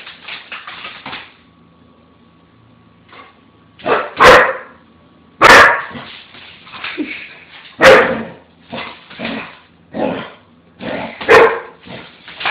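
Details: Dobermann puppy, scared of a swiffer sweeper mop, barking at it indoors: loud sharp barks in bursts near 4, 5.5, 8 and 11 seconds, with softer yips and whimpery barks between them and a quiet start.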